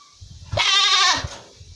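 A female goat gives a single loud, quavering bleat lasting about half a second.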